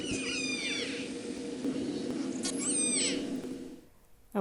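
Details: Killer whales of the Drkin family, related to the Moloko family, calling in their learned dialect: two rich harmonic pulsed calls, each a downward-bending sweep, about two and a half seconds apart, then near silence.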